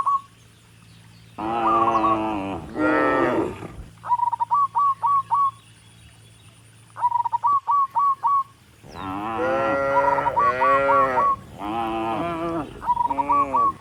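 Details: Dozens of tame cattle walking up a rural road toward the barn, mooing to call other cattle: deep, drawn-out harmonic moos in two bursts, several overlapping, with quick repeated chirping notes between them.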